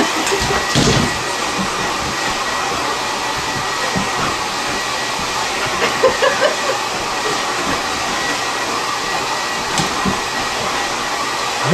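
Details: A hair dryer roars steadily throughout, with a few faint knocks and no clear animal sound.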